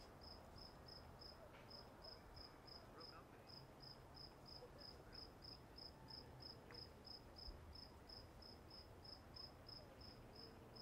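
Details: Walden Pond crickets chirping: evenly repeated high-pitched pulses, roughly three each second, running throughout over a low, hissing outdoor background.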